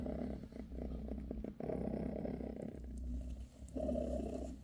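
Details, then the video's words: Bassy, a British shorthair mother cat, purrs as she massages her kittens; a near-continuous low rumbling purr with a brief dip midway over a constant low background hum. "Bassy gives her kittens a massage"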